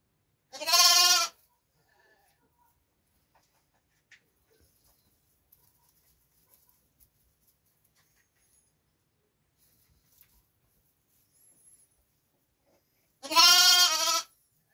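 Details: Lambs: two loud harmonic bleats, one near the start and one near the end, separated by about twelve seconds of near silence with faint small clicks.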